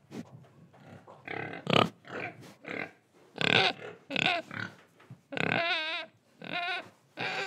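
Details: Pig recorded in Indonesia while breathing and eating, giving rough, noisy grunts that build into louder, drawn-out, whining squeals near the end, each about half a second long.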